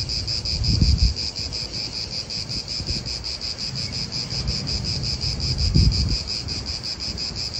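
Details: Italian park atmosphere with cicadas droning in a high, rapidly pulsed buzz that never stops, while gusts of wind swell twice in low whooshes.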